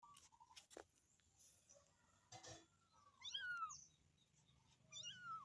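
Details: Kitten calling for its mother: two high, arched meows that rise then fall, the second near the end, after a stretch of scattered clicks and soft knocks.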